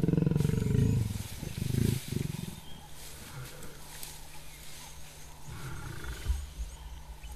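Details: Lioness and male lion mating again in the wild, she snapping back at his hard bite: two bursts of deep pulsing growls in the first two seconds, then softer rumbling with wind and bush background.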